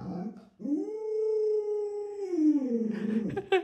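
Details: Alaskan Malamute Luoluo, a pet dog, acting cute and hugging a leg while begging for watermelon indoors: one long tonal whining howl that rises, holds steady for over a second, then slides lower and breaks into rougher, wavering whimpers.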